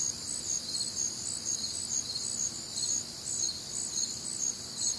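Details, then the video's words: Shrill pulsing chirps from crickets on a humid, warm Midwestern summer night, several high voices overlapping in a fairly even beat of about two per second, low faint night hum behind. "Night Time Cricket Sounds"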